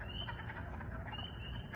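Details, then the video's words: Spring peepers call in the distance at a spring 2021 wood frog breeding site, starting back up after being disturbed: high thin peeps blending into a shrill chorus over low rumbling. "As you can hear, the peepers are starting back up. They're feeling more comfortable."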